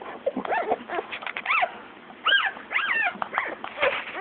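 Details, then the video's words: Several one-day-old newborn Shih Tzu puppies squeal in quick, arching high-pitched cries, overlapping bursts with brief pauses between them. "newborn shih-tzu puppies 1 day old"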